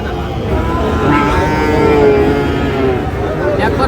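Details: Sahiwal bull calves for sale at Ambari market, Dinajpur, Bangladesh, 12 June, start of the market day; a long, level lowing call stretches through the middle, surrounded by continuous murmuring voices and bustle.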